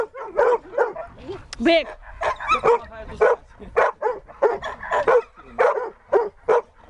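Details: Siberian Husky at a search and rescue training session, giving rapid, excited yelping barks with rising and falling tones, roughly two per second without pause, mixed with a person's voice.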